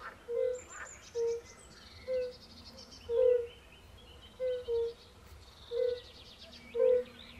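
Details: Forest pond chorus of European fire-bellied toads with pool frogs: short, gentle, low hoots repeating about every second, one pair close together, set against scattered bird chirps and whistles.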